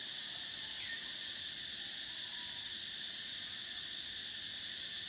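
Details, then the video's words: Cicadas singing in a steady, unbroken high-pitched drone with a shrill band on top and a lower hum beneath, holding level for about five seconds. "Cicadas: the sound of summer"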